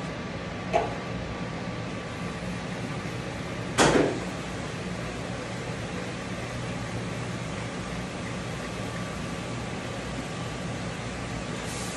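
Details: Steady whirring hum of a dryer while a Shih Tzu is dried, broken by two short sharp clicks and no audible animal voice.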